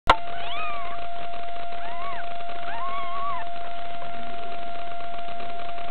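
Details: A cat gives three drawn-out meows with arching pitch, rising and then falling, over a constant steady electronic hum.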